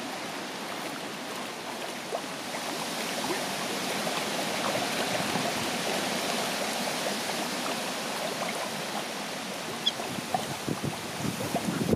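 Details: Steady splashing and gurgling of running water with no animal calls.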